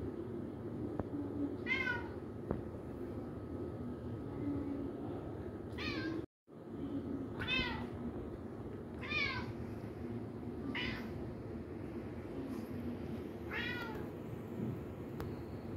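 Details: Playful kitten with balloons meowing five times, short bright mews with falling harmonic ladders spaced a few seconds apart, one brief dropout in the middle, steady low room hum beneath.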